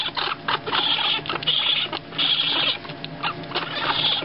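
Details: Young raccoons, two weeks old and cared for by a wildlife rehabilitator, give harsh, buzzy churring bursts lasting about half a second each. Thin whistly squeals run through some bursts, with brief pauses between them.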